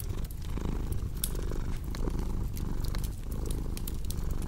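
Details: Cat's purr rumbles low and even, rising and falling in short breathing cycles, with bright crackles from a fireplace popping irregularly above it.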